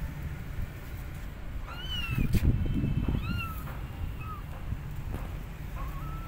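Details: Abandoned kittens on a gate meowing loudly for their mother cat; short, thin, scattered meows amid a loud burst of low rustling noise in the middle and a person speaking nearby.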